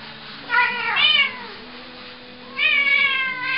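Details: Two drawn-out, harmonic, pitch-wavering yowls from Cornish Rex cats fighting, a small white one of about 7 lb and a larger one of almost 13 lb; aggression during the fight.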